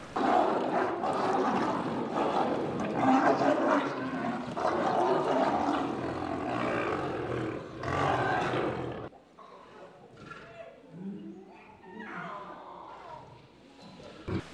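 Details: Captive lionesses at Kristiansand Zoo, Norway, in August 2008, fighting a male newly let in with the cubs to show they are in charge. Dense harsh snarling and roaring for about nine seconds, then quieter scattered growls.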